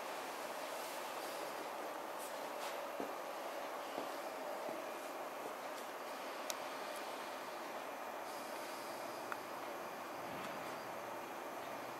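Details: Even background hiss with a faint hum and a few sharp isolated ticks, without any animal voice.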